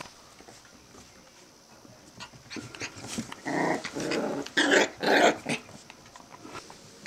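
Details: Australian terrier puppies at five weeks old, indoors; a run of harsh playful growls comes in three or four loud bursts, each about half a second long, over faint rustling.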